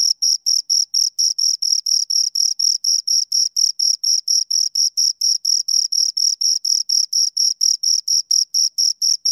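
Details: Pair of crickets chirping near the microphone: rapid, evenly spaced high chirps repeating roughly four times a second, shrill and rhythmic, nothing else audible.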